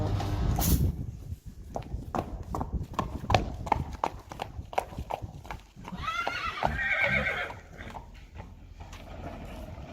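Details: Two Friesian colts, Harm and Hendrik, born March and May 2018 and recorded on March 28, 2020: rapid, uneven hoof clip-clops throughout, broken by a quavering, harmonic-rich whinny between six and seven and a half seconds, with a low rumble underneath.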